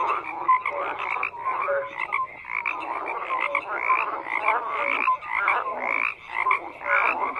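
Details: Frogs croak in an unbroken chorus, rough pulsed calls repeating nearly twice a second, irregularly overlapping, with occasional brief tonal notes.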